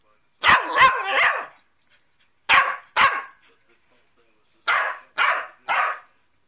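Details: Cockapoo dog talking back after a scolding about chocolate drops and lying down: a burst of three rough barks, then a pair, then three more spaced about half a second apart, with silence between the groups.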